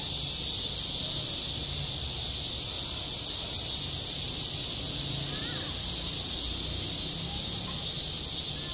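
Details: Cicadas crying at a summer school playground: a constant piercing buzz fills the air, with a couple of faint short chirps and soft low murmurs underneath.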